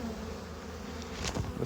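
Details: Honey bees crowding hive frames that are nearly full during a beekeeping inspection; a steady deep hum with a few soft knocks and clicks of equipment toward the end.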